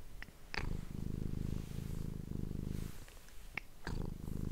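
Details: Domestic cat purring, recorded up close on an ASMR microphone: steady low throbbing purr in long phrases broken by brief pauses, with a few faint clicks and small handling noises between them.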